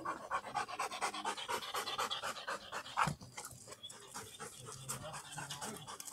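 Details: Tired black Labrador Retriever after a long walk, breathing in quick, rhythmic pants, roughly two per second, breathy and hoarse, with one louder gasp midway.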